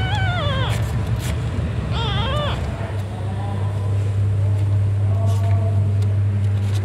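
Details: Domestic cat named Cimoi around the birth of her kittens: two wavering, slightly rising meows early on, then fainter thin mewing, all over a steady loud low hum.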